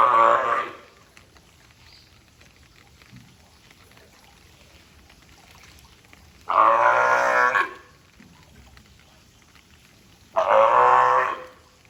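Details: California sea lion named Taeko at Ehime Prefectural Tobe Zoo, recorded 20 April 2022: three loud, harsh, honking barks about a second long, spaced several seconds apart with quiet between.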